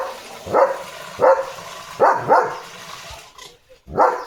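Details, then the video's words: Pet German Shepherd barking at a dog outside in the early morning, giving four rough barks with a close double bark in the middle and quieter background noise between them. "German Shepherd Barking Duty"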